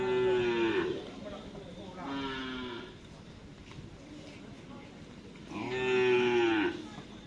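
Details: Cattle at a karapan sapi (Madurese bull race) training session of team Baong 99 on the Asemanis field, Sampang, Madura, preparing for the Kawedanan race: three drawn-out, slightly falling harmonic moos, each under a second, with crowd murmur behind.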